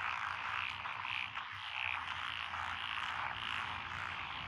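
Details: Frogs calling in rural lotus rice paddies in Echizen, Fukui, Japan, on 12 June 2021: a thick chorus of trilling croaks with brighter notes pulsing about twice a second, over a faint low hum.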